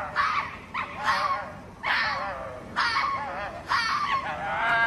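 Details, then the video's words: Fox calling: five hoarse, wavering cries, each lasting under a second, with a bent, quavering pitch and rough harmonic tone, repeated roughly once a second against a quiet background. "Fox Sounds"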